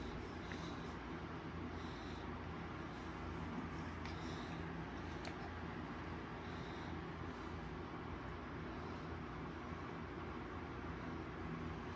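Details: Steady low rumble of road traffic and passing vehicles, with no animal voice heard.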